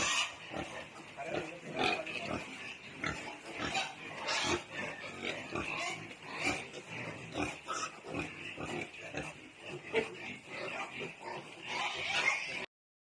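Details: Newly born native piglets on a backyard farm in Balamban, Cebu, Philippines, giving a steady stream of short, rough grunts and squeals throughout, with people talking in the background.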